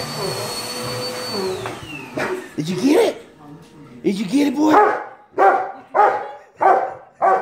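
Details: A Rottweiler gives short, deep barks repeated roughly every second after a vacuum cleaner's whine fades, attacking the vacuum he likes to go after.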